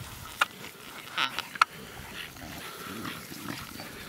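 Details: Six-week-old Staffordshire bull terrier puppies, offspring of Fear and Falcon, at a breeding kennel in the Alpes-Maritimes, PACA, at the age of play and socialising; two short, sharp, high yelps about a second apart over a low background murmur.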